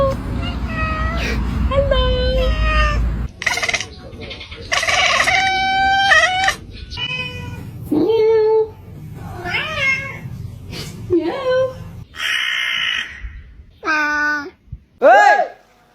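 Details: Domestic cat making strange noises: a run of short, strained, harmonic meow-like calls that bend up and down in pitch, some clipped and others drawn out, with a low rumbling background during the first few seconds.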